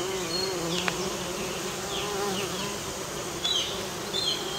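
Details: Western bumblebee at work pollinating American basswood blossoms, giving a continuous low buzzing hum with layered overtones, while brief high chirps and squeaks break in now and then.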